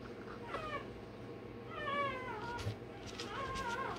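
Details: Day-old Rottweiler pup undergoing tail and dewclaw removal lets out short, high, wobbling squeals, three distinct cries within a few seconds, with a low mechanical hum and brief handling knocks.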